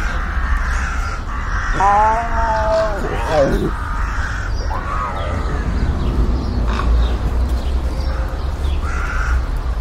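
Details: Sand cat in nature uttering one clear, drawn-out harmonic cry that bends downward at its end, followed by a fainter curved note, with steady low rumbling wind throughout.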